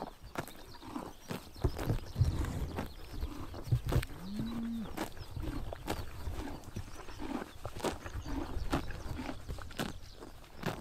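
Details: In Mongolia on a summer morning, horses graze in the sun, tearing grass in quick crisp snaps amid low chewing, while a brief low humming call sounds midway.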